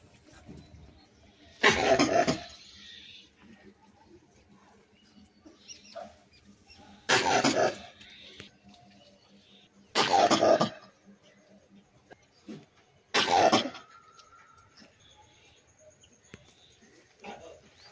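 A langur gives four harsh, coughing bursts, each under a second, spaced several seconds apart.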